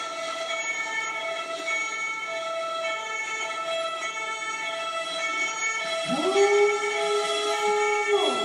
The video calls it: Uly the Cocker Spaniel sings along to ambulance sirens